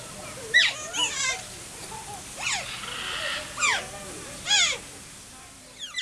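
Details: Asian small-clawed otters at Wuppertal Zoo, captive and very vocal, give sharp, high squeaky chirps with ringing overtones. The calls come in short bursts about once a second, some sweeping downward, over a faint low background murmur.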